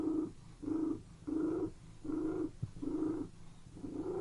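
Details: Domestic cat purring indoors in a room, a steady pulsing rumble that swells and fades in regular bursts, six pulses in a little over four seconds, with no other clear sounds.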